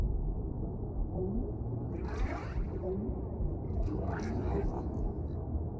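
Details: Whale vocalizations: low, wavering moans and groans layered over a deep rumble, with two brief brighter bursts of squeaky, clicking sound.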